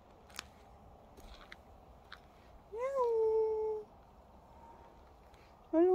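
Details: Indoor pet cat, a very dog-like, people-friendly cat, gives one long meow that rises then settles into a steady held tone, followed near the end by the start of a second meow; faint clicks and room noise between calls.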